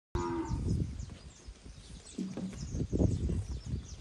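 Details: Forty Nelore and industrial-cross calves, eight months old, in the Jales region of São Paulo, Brazil; a short low moo opens, another brief moo follows midway, over steady shuffling and trampling noise from the herd.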